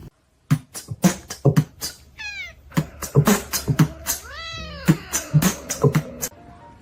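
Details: Domestic cat from a funny cat compilation giving two drawn-out meows, the first short and high with a falling tail, the second longer and arched, rising then falling, over a pounding music beat with repeated thumping hits.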